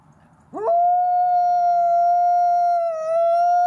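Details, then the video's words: Gray wolf howling: a single long, steady, pure-toned howl held level for about three seconds, dipping slightly near the end before rising back, following a brief rising onset. "Wolf sound, gray wolf howling"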